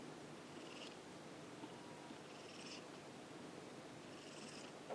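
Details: Ameta, a pet cat resting beside a computer, its favourite calm spot indoors, purring softly and steadily throughout, with faint breathy bursts recurring roughly every two seconds over a low hiss of room noise.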